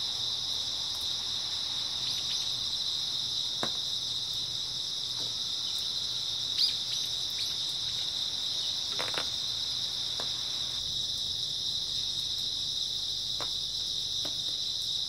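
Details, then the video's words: Early autumn night chorus of grass insects, an unbroken shrill ringing that holds at one high pitch. A few faint ticks and clicks sound underneath it. "초가을 밤부터 새벽까지 백색소음 풀벌레 소리"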